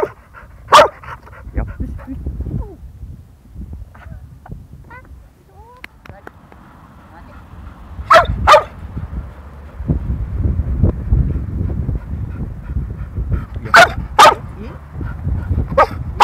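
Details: Field-line yellow male Labrador Retriever, one and a half years old, during a training session; sharp barks given singly and in quick pairs, five in all, with faint speech and background noise between.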